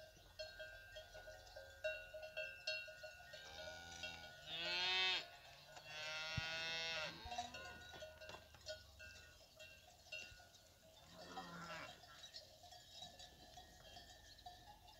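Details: Fighting bull cows with their calves on a fighting-bull ranch: several drawn-out, harmonic moos, two close together mid-clip and a shorter one later, over constant clanking cowbells.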